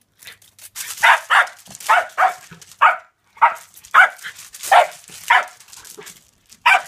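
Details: Todd the reTodd, a dog going wild for reflected light darting across a yard wall, recorded on an iPhone 5s: short sharp barks and yips in steady bursts roughly every half second, with brief gaps.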